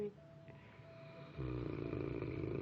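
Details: Pet dog Frank snoring with his eyes open while watching the person filming: low, gurgling, rattling snore that swells suddenly after a quieter, faintly tonal opening and continues steadily to the end.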